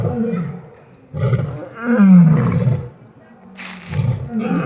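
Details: Lions at an exotic feline rescue give deep, low grunting roars, several short bursts with falling pitch and pauses between them, with a brief noisy rustle near the end.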